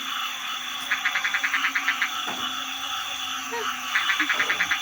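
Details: Frogs and small frogs calling at night in a rice field during a night watch to chase off elephants at Na Dong. Rapid trains of short pulsed notes come in bursts, with faint people's voices and insects behind.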